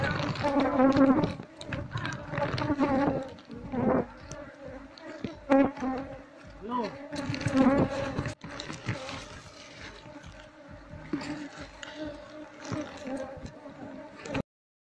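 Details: Asian honey bees swarm around exposed combs of a colony nested beneath a septic tank as it is relocated to a box. A continuous droning hum runs throughout, louder early, with handling clatter and occasional voice-like sounds.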